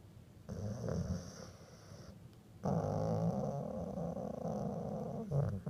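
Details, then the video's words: Sleeping dog that drifted off grumbling, so each breath comes out as a snort or grumble; low rumbling snores in long breaths, a quieter stretch followed by a louder sustained grumble, indoors. "Squish grumble snoring"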